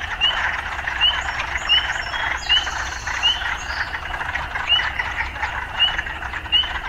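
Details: Urban frog chorus mixed with occasional sounds of city life: thick continuous croaking, with rising chirps that repeat irregularly, brief higher squeaks near the middle, and a low background rumble.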